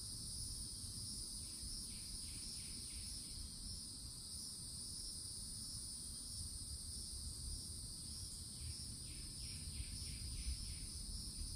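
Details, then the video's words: Steady high cicada buzz from the woods of a Florida forest edge in summer, constant throughout, with two bursts of rapid falling bird chirps, one near the start and one toward the end, over low rumbling noise. "CICADA SOUNDS"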